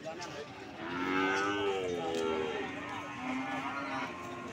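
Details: Cattle lowing at Pasar Sokaraja market in Banyumas: a quieter, drawn-out moo with gently wavering harmonic tones, a shorter lower call following near the end, over steady crowd and market hubbub.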